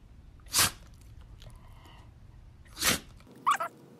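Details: Lacey, a pet Shih Tzu dog, sneezing indoors: two sharp broadband bursts about two seconds apart, followed by a short soft vocal sound.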